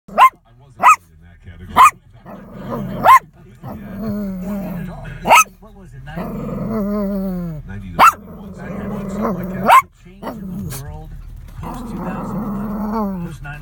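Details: Shih Tzu dog frightened by a moving animated Santa Christmas decoration, giving sharp barks at irregular intervals mixed with lower growling and whining sounds between them, with some background noise from the decoration.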